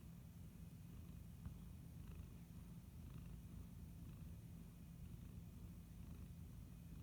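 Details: Pet tabby house cat purring, a steady low rumbling drone throughout, quiet and continuous with faint room hiss.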